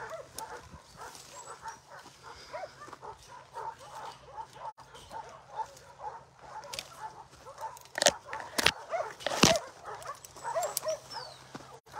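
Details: Abandoned little female puppy, covered in ticks, crying outside Takis Shelter: a steady run of thin, arching whimpers, several a second, mixed with sharp clattering knocks and handling noises toward the end.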